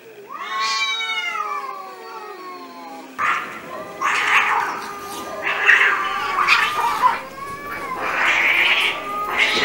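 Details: Street cats in an angry fight: a long harmonic yowl rising and wavering for three seconds, then a cut to harsh, noisy hisses and spits in repeated bursts over a sustained growling wail.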